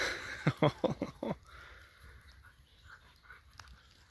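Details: Borzoi playing with friends, a Golden Retriever and a Poodle: a quick burst of five harsh, huffing grunts packed into about one second, followed by soft breathy sounds over low background noise.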